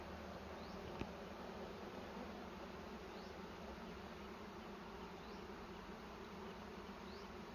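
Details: Steady, dense bee hum from a nest being harvested for honey in a cashew orchard, layered low drone with a single tap at one second and faint high rising chirps recurring every couple of seconds.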